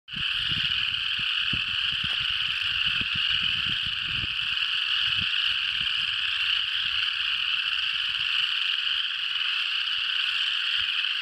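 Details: A chorus of frogs in Tennessee that goes quiet when someone creeps close and starts again once they back off. A dense, unbroken, shrill trilling wall of calls keeps an even loudness throughout, with faint low rumbles beneath.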